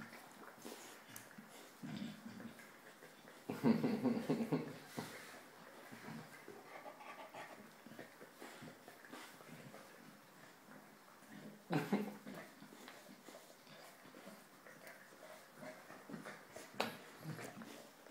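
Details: Wallace, a five-month-old Chinese Shar-Pei, gives soft whining sounds in a quiet indoor space. The strongest outburst is a tonal whine of about a second and a half near the start. Shorter, fainter whimpers recur sporadically after it.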